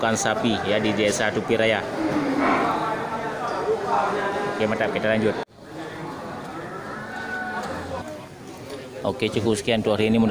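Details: Local cattle, many large animals fattened traditionally, at the Geurugok cattle market in Bireuen, Aceh, on 13 July 2021, a busy weekend before Qurban; low drawn-out harmonic moos rise amid steady crowd chatter and voices, with a brief break midway.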